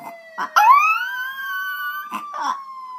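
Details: Pet puppy Diesel howling at police sirens: short broken sounds, then a rising howl held steady for about a second and a half, followed by a few short wavering notes over a continuous siren.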